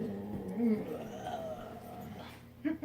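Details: Pet dog reacting to having its face blown on, giving a grouchy, wavering whine-growl that rises and falls in pitch for about two seconds. A person speaks briefly at the end.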